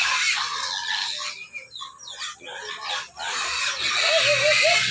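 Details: Hungry pigs scream in harsh bursts. A loud opening squeal fades into choppy, broken cries, then the noisy squealing swells back to full strength at the end.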